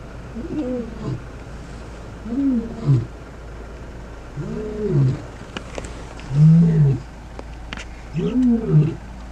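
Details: Male lions of the Gomondwane coalition in Kruger National Park, South Africa, in the wild; a series of deep grunting roars, five low moaning bursts spaced about two seconds apart, with faint background noise.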